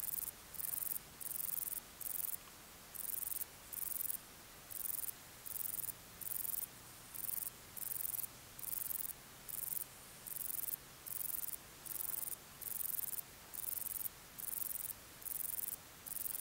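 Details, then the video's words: A male Bicolor Meadow Bush-cricket (Bicolorana bicolor) gives its calling song, high buzzy bursts repeated about twice a second; recorded 12 August 2019 at Torcegno, Trentino, Italy. "Bicolor Meadow Bush-cricket Bicolorana bicolor, male, calling song"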